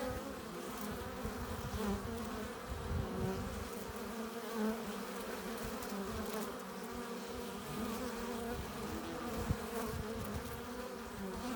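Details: Quieter hum of honey bees at the hive entrance as they carry in pollen and nectar; a soft, even drone of many wings with some low background rumble.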